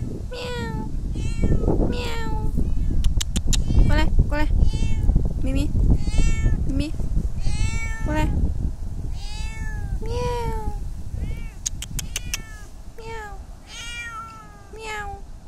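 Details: A black cat meowing repeatedly, short harmonic mews rising then falling, several per second in bursts, over a steady low rumble with clicks and occasional human speech.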